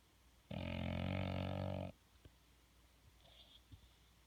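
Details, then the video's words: A sleeping bull dog gives a single drawn-out, rattling low snore lasting about a second and a half, a sound compared to a fart, followed by near silence with faint soft snuffles. "Snoring/Farting bull dog"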